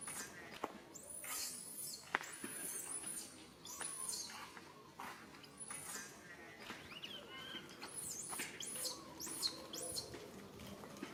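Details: Infant monkey calling to its mother for help, unable to get it: repeated piercing, high arching screams in clusters, with lower wavering whimpers between and light background noise.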